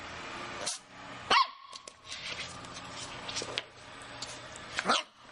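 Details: Playful Shih Tzu puppy letting out two sharp, high yips several seconds apart, with scuffling and light clattering noises in between.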